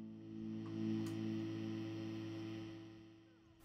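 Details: Quiet sustained background music with soft steady tones and no animal sound.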